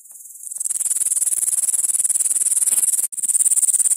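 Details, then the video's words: Grasshopper stridulating: after half a second of quiet, a very high, thin, steady rasping trill of rapid pulses runs on, with one brief break near the end before it resumes. "Как стрекочет кузнечик"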